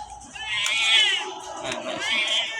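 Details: Domestic cat named Mithai crying while being bathed at home: high, drawn-out wailing yowls that rise and fall in pitch, two long cries in quick succession, with faint people's voices in the background.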